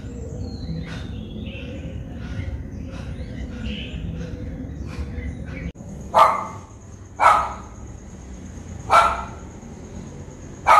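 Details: Japanese Spitz in Colombo, Sri Lanka, caught on a Nikon COOLPIX P1000: several faint, distant yaps early on, then four louder sharp barks at irregular intervals in the second half, with a thin steady high tone behind.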